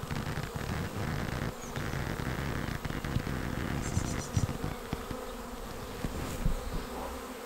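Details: Arriving honeybee swarm entering a swarm trap on 19 May. A dense, even buzzing drone with stacked harmonic tones, gusty low wind noise underneath, and a brief burst of high bird twitter near four seconds.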